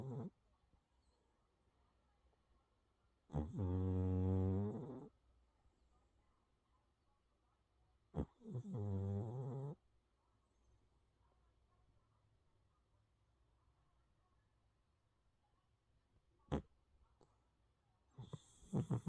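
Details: Deep, low snores come from a calico kitty asleep, two drawn-out buzzy breaths about five seconds apart, then near silence broken by a faint click and a soft rustle at the end.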